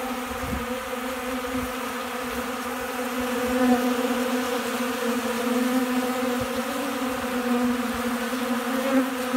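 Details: Honey bees feeding like crazy from a hand in Central Alabama on a windy day before rain and storms. They make a continuous loud drone with a steady low buzzing pitch and layered overtones. A few brief wind thumps are heard.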